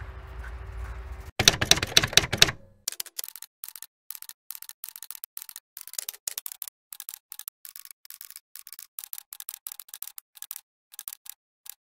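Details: A short burst of broadband noise gives way to rapid, irregular clicking like typewriter keys, about four per second, in a quiet room with no animal sound.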